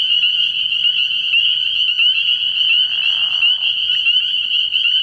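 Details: Nighttime chorus of spring peepers at a frog pond early in the year, countless piercing rising peeps overlapping into a steady high drone, with a brief lower rasping burst near the three-second mark.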